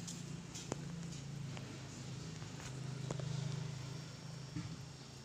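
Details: Low continuous purring from Bani, a friendly stray calico cat resting as a new mother of four kittens; the deep vibrating drone swells and eases in waves, with a few faint clicks and taps behind it.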